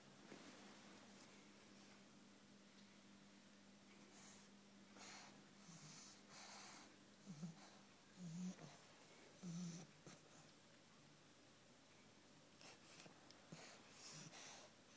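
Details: Bulldog snoring while asleep: soft, low, irregular breathing snores repeated roughly every second or two, with a faint steady hum in the background.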